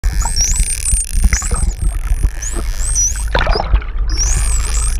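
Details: Hawaiian false killer whales, a friendly mother and calf pair from cluster 1, recorded underwater off Oahu, Hawaii on a GoPro: high, sliding, looping whistles repeat over low rumbling water noise and bursts of broadband clicks and bubbles.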